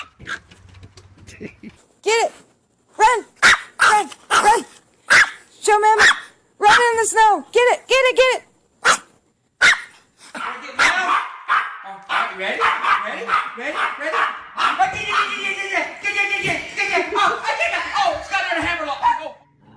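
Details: Small dog giving high-pitched vocalisations, playing in snow: a run of sharp, harmonic barks and yips in the first half, then a woman's excited talking over the dog's noises.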